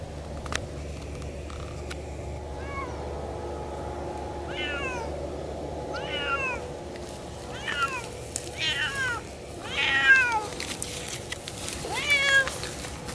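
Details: Siamese cats Otani and Yozora talking and howling while hiking off-leash through a small forest; a run of arched, harmonic meows starts after a quiet opening and repeats roughly every second, growing louder, over steady low outdoor hum.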